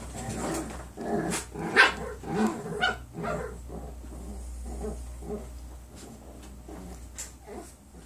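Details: A litter of nine-week-old foster puppies at play indoors: rough growls and short barks in quick uneven bursts, loudest early on, then softer scuffling yips, with a constant low background hum.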